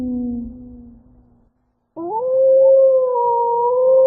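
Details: Low, fading tail of a wolf howl, brief silence, then a fresh howl that swoops sharply upward and is held strong and level until the end.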